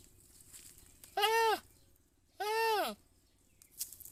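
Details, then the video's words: A goat gives two loud, drawn-out bleats about a second apart, each a rich harmonic cry that rises and then falls away, against a quiet background. "Funny goat sound"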